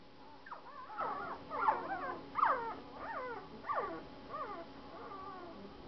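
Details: Saint Bernard puppies, one week old, whining in a run of about six squealing, warbling whimpers, each bending up and then down in pitch, spaced less than a second apart and fading toward the end; no other sounds stand out.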